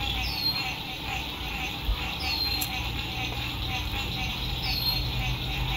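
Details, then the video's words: Lakeside frog chorus at sunset during spring 2021 RV camping: continuous buzzy pulsing trills, while a bird gives a few high, falling whistled slurs about every two seconds over a low background rumble. "Sunset Frog Songs"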